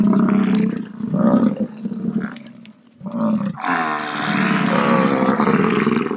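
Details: American bison (Bison bison), bellow.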